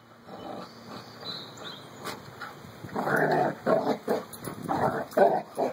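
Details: Carlee and Sonny, two puppy friends, play-fight. Quiet at first, then a run of short, throaty growls comes in quick, uneven succession over the last three seconds.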